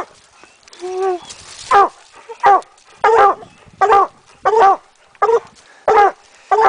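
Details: Coonhound barking while treeing a raccoon on a midday coon hunt in Idaho in 2011. Loud, short barks come about every 0.7 seconds in a steady series, after a man briefly speaks to the dog at the start.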